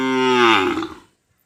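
A cow gives a single loud, harmonic-rich moo lasting about a second.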